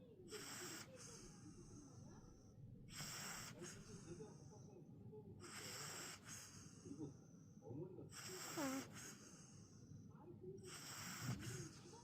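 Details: Sleeping mini pug snoring in a steady rhythm: five raspy, hissing breaths roughly every two and a half seconds, each about half a second long, with faint wheezy squeaks and soft rumble in the gaps.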